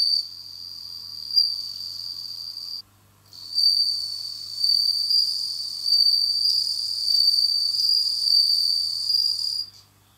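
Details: Kept bell cricket beginning its autumn song indoors: a sustained high ringing trill that stops briefly near the third second, then resumes and ripples on with gentle pulsing swells before cutting off near the end.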